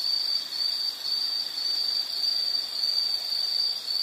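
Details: High, shrill insect trilling in a relaxing nature soundscape, nearly unbroken with slight dips in loudness about twice a second, against faint ambient hiss.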